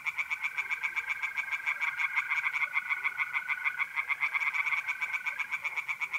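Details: Unbroken tree frog chorus from an Italian pond by night in mid-April: dense, rapid, rhythmic croaking pulses for six seconds, layered over the constant high-pitched trilling of mole crickets.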